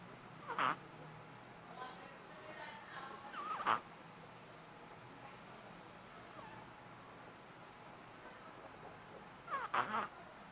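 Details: Three-month-old Shih Tzu puppy snoring loudly while asleep indoors: short nasal snorts with a squeaky, tonal edge at about 0.6, 3.7 and 9.8 seconds, separated by quiet breathing and faint room hiss.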